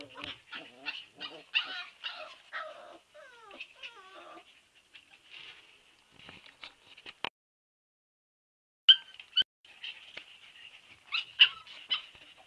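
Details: Siberian Husky puppies whimpering: a run of high, thin whines and short yips, some sliding downward, bunched in the first four seconds, then scattered squeaks, a pause, and a fresh burst of overlapping whimpers toward the end.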